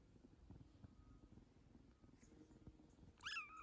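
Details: One-month-old rescued kitten, one of a female and male pair, indoors: soft low rumbling background noise, then a single short, high, bending meow near the end.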